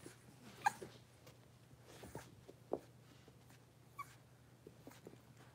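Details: Five blenheim Cavalier King Charles Spaniel puppies, born on New Year's, moving into a big indoor pen: a few short, high, squeaky yips and whimpers spaced irregularly over a low steady hum, with soft rustling between calls.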